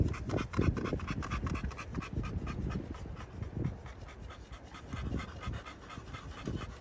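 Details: Pocket American Bully dogs in Romania pant steadily, fast airy breaths close to three a second in loose rhythm, over low scuffing and handling sounds.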